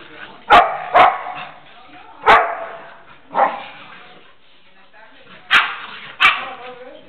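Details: A Pitbull puppy, barking and leaping playfully at the female dog Jana, who plays carefully and maternally with it; scattered sharp barks, paired then spaced out, with quiet talking between them.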